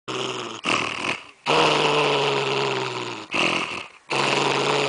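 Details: Pet dog growling at its owner for coming too close to its candy cane bone at Christmas: long, steady, low rumbling growls broken by brief breathing pauses.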